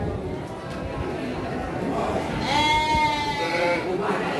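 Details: Garut sheep ewes at the Andir livestock market, Garut, Indonesia, on 5 April 2021; a single wavering bleat stands out at mid-clip above a steady murmur of human voices and crowd noise.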